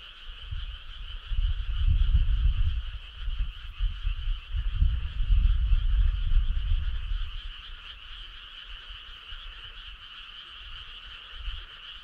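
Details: Midsummer-night chorus of frogs on a rural road, an unbroken rapid trilling drone in two pitch bands, partly masked by loud low rumbling gusts between roughly two and seven seconds.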